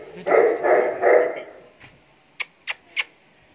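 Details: Show-level Saint Bernard letting out three resonant barks in quick succession, followed after a pause by three sharp clicks.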